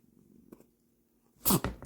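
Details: A Munchkin cat gives a sudden, sharp sneeze after a quiet moment of licking itself indoors, startling its owner.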